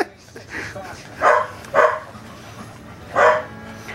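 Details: An 8½-week-old corgi puppy goes crazy giving kisses and a few bites to its mother dog indoors, letting out three short, bright yips with a woman's cooing voice talking over them.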